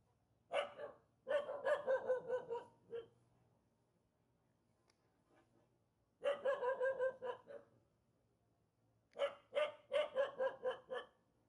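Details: Dog from a village near a mountain barking, unhappy at meeting people; three rapid bursts of about five to seven harsh barks each, separated by pauses of a few seconds, with a low hum underneath.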